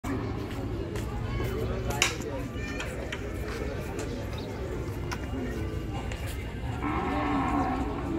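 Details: Cattle at the Gabtoli cattle market in Dhaka, Bangladesh, during the 2021 Qurbani Eid trading season. A drawn-out, harmonic moo swells near the end, over constant crowd chatter, voices and a steady low hum of the busy market.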